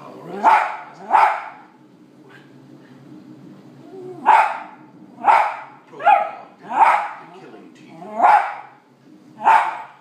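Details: West Highland White Terrier indoors barking at dogs on television: sharp barks in pairs, a pause, then a run of six spaced barks, with a television soundtrack murmuring underneath.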